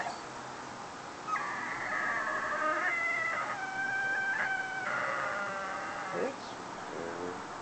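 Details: Foster whippet alone in the house after its carer left to go shopping, producing long wavering howl-like wails lasting several seconds, ending in a few short yelping notes, over a faint steady background hiss.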